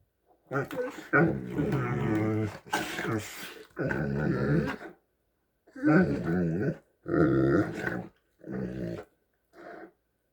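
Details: Two Great Danes give deep, groaning, hippo-like rumbles in broken bursts of a second or two before turning their attention to the person filming.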